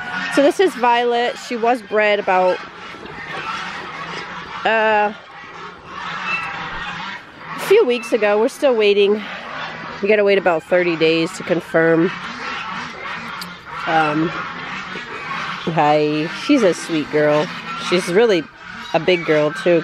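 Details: Several six-week-old Great Dane puppies protest through their first bath with loud, repeated yelping cries, bursts of harsh, wavering whines following one another almost continuously.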